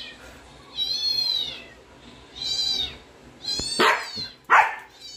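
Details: Siberian Husky. A Siberian Husky voices two drawn-out, high whines that rise and fall like a meow. Two abrupt, harsh bursts, like yips or barks, follow near the end.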